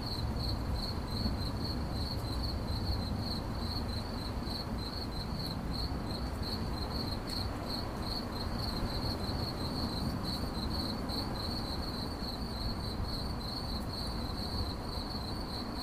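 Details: Cricket chirping steadily in a relaxation recording: a narrow, pulsed tone repeated rapidly and evenly throughout, over a constant low rumbling background hum.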